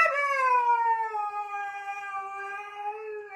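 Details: ['One husky gives a single sustained howl, starting higher and sliding gently down before leveling off, rich and tonal with slight wavering throughout.']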